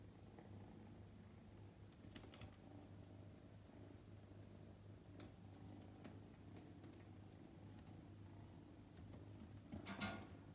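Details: Low, steady purr of a male Scottish Fold kitten named Luca, prick-eared, born May 2021, at home on his second day; the rhythmic rumble holds for ten seconds, ending with a brief rustling bump.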